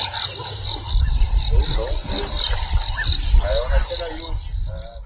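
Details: Six lion (Panthera leo) cubs of the Nkuhuma pride in Sabi Sands, South Africa, give short, high chirping mews in the morning as adult females return to them, over a steady insect drone and low rumble.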